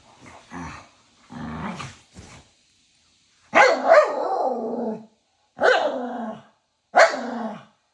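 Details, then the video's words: Two pet dogs behaving like a bickering married couple yap at each other nose-to-nose indoors, playful and without real fighting; short soft growly sounds give way to three loud, harsh, drawn-out yaps about a second apart. "Dog Husband & Wife Have A Serious Argument Yapping At Each Other Everyday"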